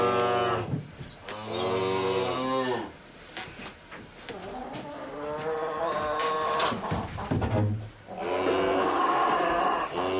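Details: A herd of cattle gives drawn-out, deep, resonant moos, several animals calling in turn with brief gaps, some rising then falling; a quieter middle stretch has softer calls and faint background noise before another loud moo.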